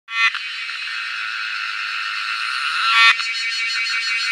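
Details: Cicada singing at close range: a sudden loud onset, then a steady, harsh, high buzzing drone that swells near the end and shifts into a faintly pulsing rattle.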